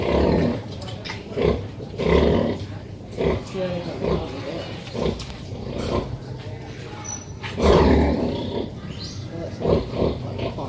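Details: Pig family with mother pig and piglets, giving deep irregular grunts in loud pulses about every second or two, with a few thin squeaks and a louder burst near eight seconds.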